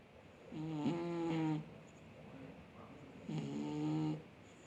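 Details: Sleeping domestic cat snoring loudly, likened to a grown man: two low, rumbling, harmonic snores, each lasting about a second, about two and a half seconds apart, with quiet breathing between them in a still room.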